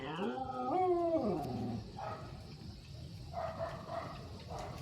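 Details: Talkative Belgian-Labrador mix dog with a wavering, whining vocalization that rises then slides down into a low grumble. Soft human speech follows, with faint dog murmurs in between.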